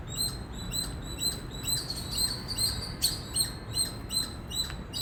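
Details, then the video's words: Indian squirrel chirping loudly: bright, very high, clipped notes repeated in a quick, even rhythm, a couple of sharper accented chips near the middle, with soft low background noise. "Loud Squirrel Chirping Sound"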